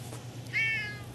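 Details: Orange cat living at a snack bar in an alley, its mouth looking odd, gives one short meow rising then holding level, slightly strained and nasal, with a steady low hum underneath.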